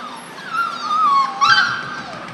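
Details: Four-week-old German Shorthaired Pointer puppy from a litter, uttering a loud, drawn-out whine that wavers and dips, then breaks into a sharper rising yelp before trailing off into a fading whimper.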